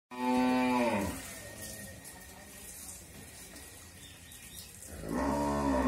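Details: Pregnant Friesian cow, eight and a half months along with her second calf, raised at home on a dairy farm in Bangladesh, gives a loud harmonic moo at the start and a second rising moo near the end, with quiet background between.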